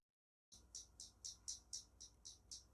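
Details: Magicicada tredecula, a periodical cicada of Brood XIX in North Carolina, played back: a steady run of sharp, high, buzzy clicks, about four each second, with no other sound.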